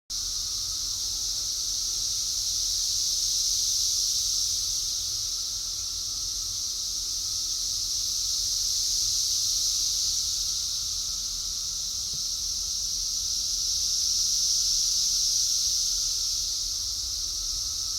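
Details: Cicadas recorded on 6/4/24 fill the air with a dense, unbroken high buzzing drone that swells louder around four and fifteen seconds and eases between. A faint lower steady tone runs beneath, and no other animals stand out.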